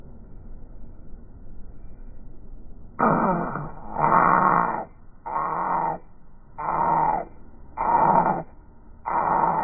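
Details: A male Corgi puppy in India gives six harsh, raspy, groaning cries in a row, each under a second long with short pauses, over a faint steady hum.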